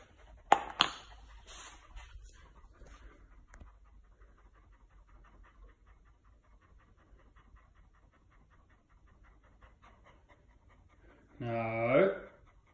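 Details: Chow Chow named Chow, a fluffy dog indoors on a very hot day, panting softly in quick, steady breaths of about three per second, with a brief voice and a short harmonic vocal burst near the end.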